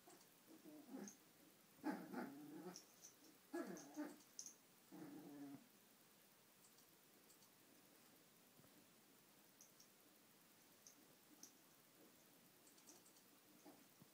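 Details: Dogs playing tug of war indoors, a 6-year-old Irish Terrier and a 10-week-old Maltipom puppy: three short, rough growling bursts in the first five seconds, then near silence with faint scuffles.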